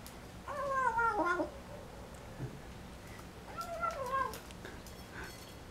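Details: Young folded-ear American Shorthair cat in a Taiwanese home making funny noises over its first meal: two wavering, moaning harmonic calls about three seconds apart, with small clicks and chewing sounds between them.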